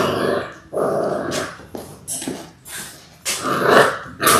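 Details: Six-week-old Labrador Retriever puppies from a litter of six born January 18, 2022, watched on a live puppy cam. Rough play growls and short harmonic yips come in several bursts separated by brief pauses.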